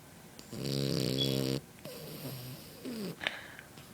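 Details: Sleeping French Bulldog puppy gives a harsh, vibrating snore of about one second with rapid fluttering pulses, followed by softer, rising and falling nasal breathing sounds and a faint click.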